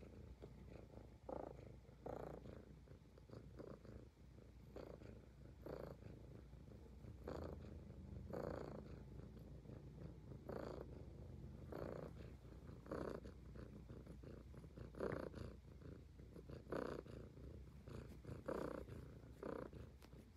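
A Highland Lynx cat purrs in a steady low rumble, broken by soft rhythmic licking sounds.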